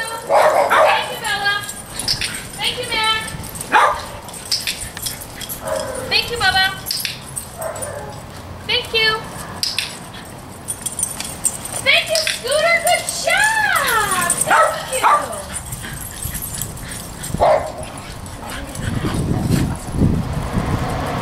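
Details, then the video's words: Dogs in a daycare group environment giving alert and demand barks, scattered sharp barks and rising-falling whining yelps, between stretches of people speaking and greeting dogs by name. "Barking at Tails-A-Wagging"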